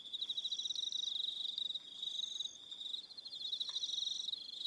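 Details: Several crickets trill at evening on New Zealand's Aroha Island, a shrill, rapidly pulsed, unbroken drone with extra higher trills overlapping in bursts and a brief lower click near the end.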